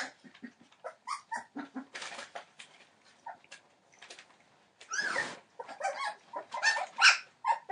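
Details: Litter of 21-day-old Entlebucher Mountain Dog puppies born 28 December 2013, giving overlapping squeaky whimpers and yips, low soft squeals early, louder cries and a breathy squeal later in the clip.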